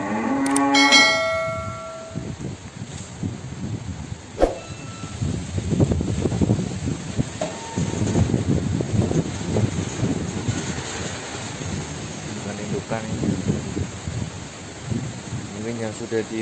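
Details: Cattle at a breeding pen, around the birth of a calf: a brief moo at the start, then clattering, knocking and shuffling barn sounds, and a wavering lowing call returning near the end.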